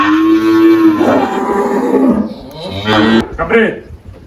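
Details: An 18-year-old Girolando cow called Malhada, kept on a farm in Anápolis, Goiás, Brazil, moos in one sustained low call, then breaks into shorter, rougher bellows with some clattering in the barn.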